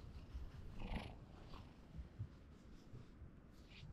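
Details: A kitten that badly wants to be stroked purrs in a low, steady rumble that pulses softly through the whole stretch, with faint higher rustles above it.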